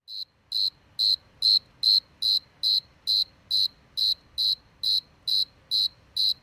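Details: A single cricket chirping in a steady rhythm, about two high, shrill pulses per second, each a short clean trill, with quiet background between chirps.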